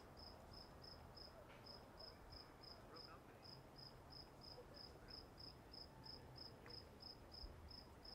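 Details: At Walden Pond, a cricket gives evenly spaced high chirps, roughly three per second, with a brief gap near the start, above a soft low rumble.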